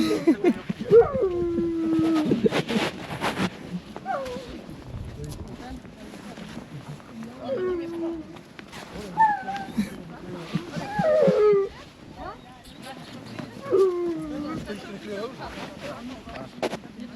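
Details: Husky sled dogs at a winter sledding tour in Ogre, Latvia, at about -13°C, giving drawn-out falling whines and yelps at irregular intervals. People talk, greet the dogs and laugh throughout, with rustling between calls.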